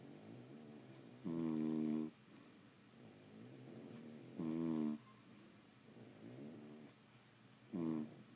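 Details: Three heavy, gravelly snores from sleeping French Bulldogs, spaced about three seconds apart, with quieter rasping breaths in between.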